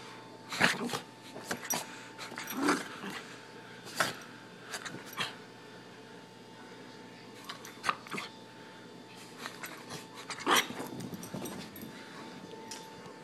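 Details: Excited Miniature Pinscher named Lexi, going crazy for the camera in a small room, lets out scattered sharp barks and yips with some low growly sounds, spaced irregularly over several seconds amid faint room noise.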